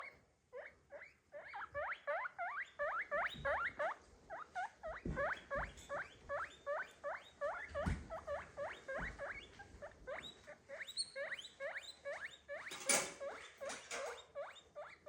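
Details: Pet guinea pig making noise: rapid series of short rising squeaky whistles, roughly three per second, with a brief broadband clatter near the end.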